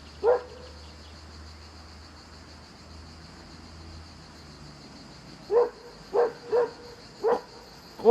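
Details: Black female hunting hound barks at a passing boat while running along the riverbank, urged on by her owner. One bark, then a pause with low rumble, then a quick run of five barks about half a second apart.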